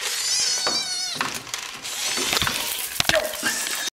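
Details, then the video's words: Hungry kittens and a pushy mother cat clamour for food, several high wavering meows at the start, then clattering and rustling noises with a brief faint mew near the end. "Noisy, greedy kittens"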